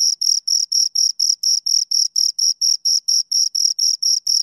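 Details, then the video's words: Pair of crickets giving rapid, piercing chirps, around seventeen short pulses in under five seconds, regular and clean with no other sounds. "Two Crickets Chirp Sounds"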